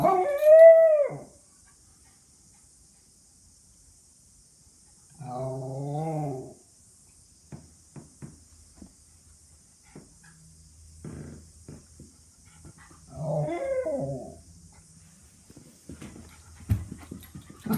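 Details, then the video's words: An excited female Miniature Schnauzer gives an arching yelp, then wavering, howl-like barks with long quiet gaps between. She barks like this when excited, for example when she expects food or a walk. "Miniature Schnauzer barking"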